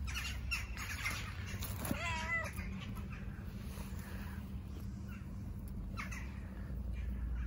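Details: Stray tabby street cat wanting love, not food: a short wavering meow near the two-second mark, quickly over, followed by constant low outdoor hum and faint scattered noises.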